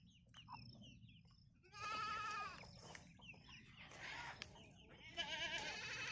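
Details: Goats bleating on a farm where chickens graze nearby: wavering, nasal, harmonic bleats come in two bursts, with quieter chirps and rustling between them.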